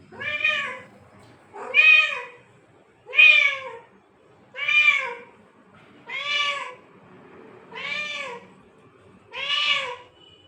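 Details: Seven evenly repeated meows from a cat, about one every one and a half seconds, each a clear arched wail rising and falling in pitch, with near silence between.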